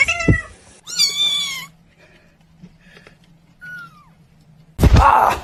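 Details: Domestic cat giving a short, bright meow with stacked harmonics, then a softer falling mew a few seconds later, with a low steady hum and a sharp thump at the start and end.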